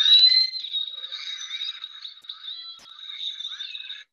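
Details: Southern resident killer whales vocalizing with each other, talking and making lots of noise that reinforces their family bonds; clear sustained whistles near one pitch with harmonic bands, some rising and wavering calls layered over one another, no background noise.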